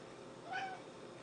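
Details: Orange and white domestic cat begging for a treat gives a single short, level meow in a quiet room.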